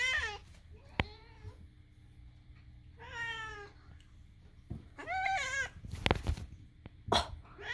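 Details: Pet cat Moo vocalising his odd sounds indoors, with Daisy nearby: a series of harmonic meows, some quavering and bent, spaced by short silences, plus a few sharp clicks and thumps from the room.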